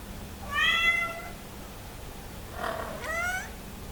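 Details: Hungry Somali cat meowing to be let into the living room: a long, clear, tonal meow rich in overtones, then a pause and a shorter second meow with a rising end, indoors and otherwise quiet.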